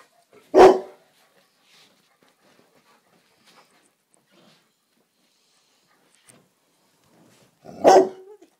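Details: Black Labrador Retriever indoors in a living room one evening, barking at a silk orchid: two sharp single barks about seven seconds apart, with near silence between.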